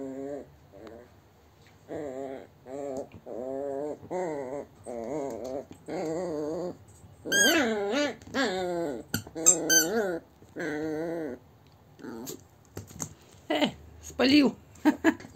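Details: A Yorkshire Terrier gives a run of wavering, moaning whines and grumbling growls, like a small dog trying to talk, while chewing on its owner instead of its toys.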